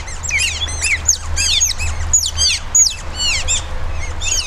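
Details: Several captive Asian small-clawed otters at Zoo Duisburg, Germany, waiting for feeding: a dense chorus of high, sharply falling chirps that overlap and repeat several times a second, with a steady low hum underneath.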